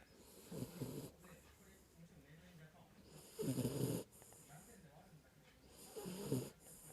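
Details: Kinako, a Jack Russell Terrier, snoring in her sleep: three rough, breathy snorts spaced about two and a half to three seconds apart, low and quiet, with soft background hiss between them.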